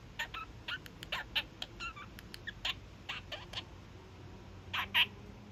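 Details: Young male kakariki, a pet parakeet, giving his daily evening honks: a series of short, sharp, nasal calls, some doubled, spaced irregularly over a few seconds with quiet gaps, ending in two louder bursts.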